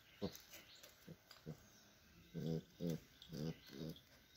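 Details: Dog making soft, low, gruff huffs and short muffled barks, a few scattered at first, then four stronger ones about half a second apart over a steady hiss.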